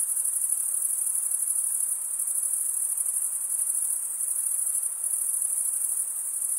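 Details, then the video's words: Crickets chirping by stridulation, males rubbing one wing's edge over a toothed vein on the other: an unbroken, very high-pitched shimmering trill with fine rapid pulsing and faint swells in loudness; no other sounds. "Most relaxing cricket sound for 8 hours"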